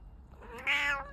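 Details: Persian cat grooming itself gives a single short, bright meow that swells and fades within half a second.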